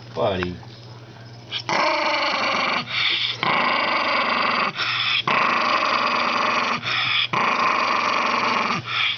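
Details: Senile old Toy Poodle indoors: a short falling whine opens, then a string of harsh, buzzy growls, each lasting about a second and broken by quick gaps.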